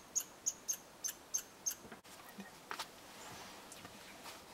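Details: Red squirrel at a bird hide in Eastern Canada gives six quick, high, sharp chirps in about two seconds, followed by a soft click and faint rustling.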